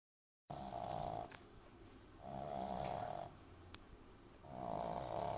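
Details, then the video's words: French Bulldog puppy named Amy snoring loudly while asleep in someone's arms; three long, rasping snores, each about a second long, with quieter breathing between them in a quiet room. "Französische Bulldogge Amy Welpe Schnarcht übertrieben laut lustig"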